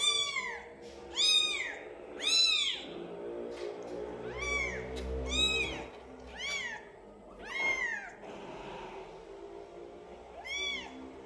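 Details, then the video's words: Twelve-day-old kitten meowing repeatedly, high thin arched cries with rich harmonics, roughly one per second in uneven bursts, over a faint low background hum. "Anak kucing meong meong hari ke 12"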